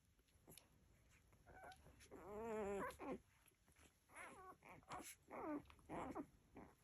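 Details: Nursing Labrador Retriever puppies whimper and squeal in high, wavering cries that rise and fall.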